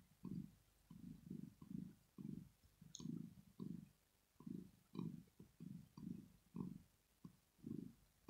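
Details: Purring of Rosetta, a female cat asleep and relaxed; a low, buzzing rumble rises and falls with each breath, about two beats a second, steady and close.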